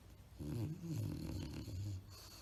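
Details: A tired bulldog asleep, snoring: one long, deep, rumbling snore of about a second and a half, low and gravelly, in a quiet indoor room.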